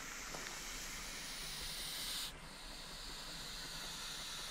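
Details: Common European adder (Vipera berus) in Jämtland, Sweden, 2019, disturbed on a forest path: a faint, airy broadband hiss lasting about two seconds, then stopping abruptly and leaving low background rustle.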